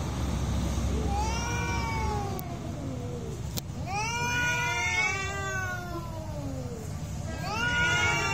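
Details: Real cat fight: arching, wavering yowls rising sharply and sagging over several seconds, separated by brief pauses, with a couple of sharp clicks and low background rumble.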